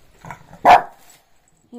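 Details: A Shih Tzu barks for no apparent reason on a relaxed morning, giving one sharp, mid-pitched bark, with faint human voices just before it.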